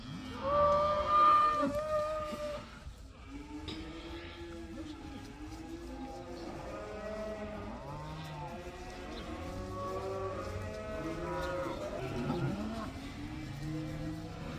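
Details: Cows from a herd of about 80, one black, let outside for the first time, give many overlapping low moos, some rising and falling, with a louder drawn-out moo near the start and a steady chorus after.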